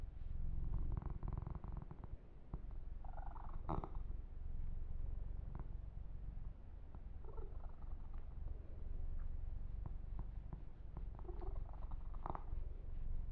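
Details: Yumak, a kitten, purring while being massaged and groomed; a steady low rumbling purr runs throughout, with soft rustles and brushing of fur and occasional light taps.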